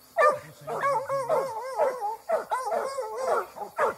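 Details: Plott hound aged eight months, released during a fight, giving loud wavering bays and howl-like barks that bend up and down in pitch, with a low human voice briefly behind.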